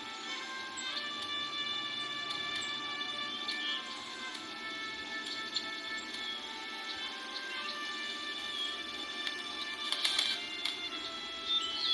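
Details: Steady droning music with sustained tones fills the whole recording, with only a few faint clicks and no clear animal call.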